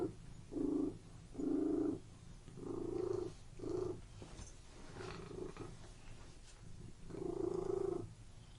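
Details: Indoor domestic cat purr in a room: several strong rhythmic rumbling pulses, then a quieter, fainter stretch before the purring swells loudly again near the end.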